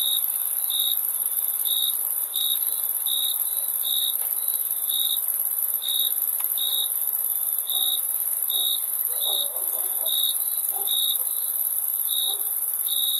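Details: Crickets chirping: short bright chirps repeated roughly every half second to second over thirteen seconds, set against a continuous high shrill insect drone that never stops.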